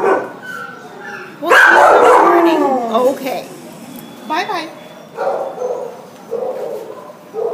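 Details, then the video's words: Wailing Border Collie Husky mix at the pound, December 27, 2014: a loud quavering howl at one and a half seconds sliding downward, then shorter broken cries and whimpers trailing off. "Border Collie Husky at the pound WAILING"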